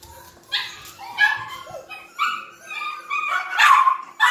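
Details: Two baby Yorkshire Terrier puppies, litter of a silkie-coated Yorkie named Vern, give high squeaky yips and whines in quick bursts, about one each second, some rising and falling in pitch.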